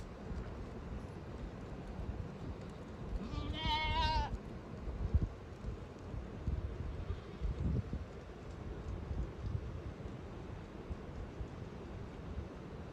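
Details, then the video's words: Village goats coming back home: a single quavering, wavering bleat lasting about one second, rich in stacked overtones, rising out of steady low rumbling background noise, with soft thumps later. "Village goats back in home || goats sound"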